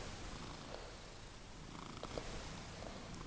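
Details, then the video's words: Pet cat purring, recorded 12 January 2012: a low continuous rumbling purr under a soft hiss, with a woman's voice talking affectionately nearby. "Purring Cat"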